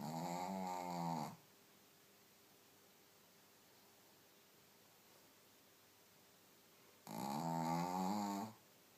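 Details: A Shih Tzu sleeping deeply after a belly tickle snores loudly with rumbling, buzzy breaths about six seconds apart.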